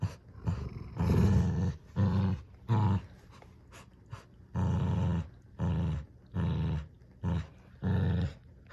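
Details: Tug-of-war between two dogs over a new toy duck, with deep growls coming in about eight separate bursts, each lasting roughly half a second to a second, and quiet gaps between them.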